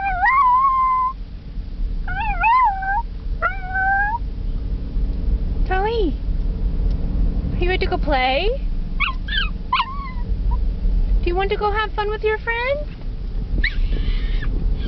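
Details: Excited female Chihuahua on her way to doggie school, whining: drawn-out high whines with wavering, sliding pitch, some rising and falling sharply, and bursts of quick yips, with the owner speaking to her over a low background rumble.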